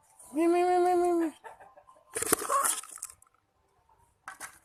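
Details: A cat gives one drawn-out, steady meow of about a second, followed by short noisy bursts of voice-like sound and a brief clatter near the end.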